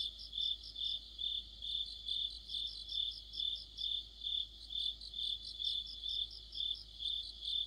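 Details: Crickets and other insects in an autumn chorus: a high, steady chirp pulsing about twice a second, overlaid by a faster, fainter rattling trill slightly higher that comes and goes.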